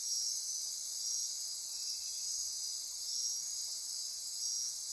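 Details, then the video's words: Dense midnight insect chorus in Costa Rican rainforest near Corcovado National Park, Osa Peninsula: steady high shrill trilling and buzzing bands, with faint pulsing every couple of seconds, no other clear sounds. "Midnight Insect Chorus"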